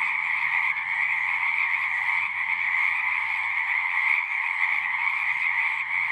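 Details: Many frogs singing together in a dense, continuous chorus, a steady trilling band of calls around two kilohertz with a lower band near one kilohertz, no gaps, faint low rumble beneath.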